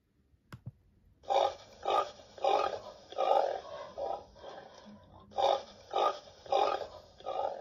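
A pig gives a run of rough, breathy grunts, each about half a second long.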